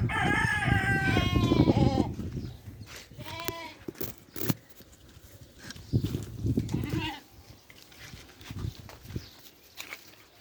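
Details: Sheep on a farm, eating, gives a loud quavering bleat at the start, followed by short, softer calls and scattered thumps, rustles and munching noises.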